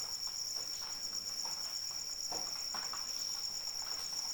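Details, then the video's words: Cricket calling in rain as a sleep aid: a steady, very high continuous trill with a faint pulsing edge above it, over soft rain patter with scattered louder drops. "Suara Hujan dan Jangkrik Pengantar Tidur"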